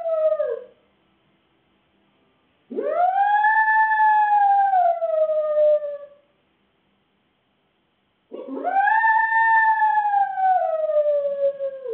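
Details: Home alone and captured by CCTV, Fudge the Shih Tzu poodle cross gives repeated drawn-out howls, each about three seconds long, swooping up and then slowly falling, with a few seconds of silence between them.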